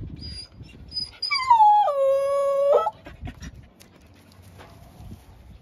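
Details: Young blue-eyed Siberian Husky puppy indoors by a window giving one howl: a short high whine, then a long, steady tone about a second and a half long that drops in pitch and cuts off, with faint room noise.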